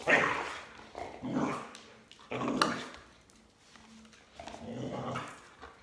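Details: Border Collie barking as its owner skips rope: four heavy, rough barks spaced about a second apart, with a longer pause before the last, over a faint background hum.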